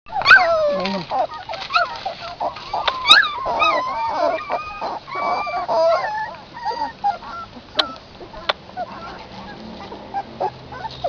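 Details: Several puppies suckling from their mother outdoors give overlapping high, wavering whines and squeaks, densely packed for the first seven seconds and then thinning to scattered short cries.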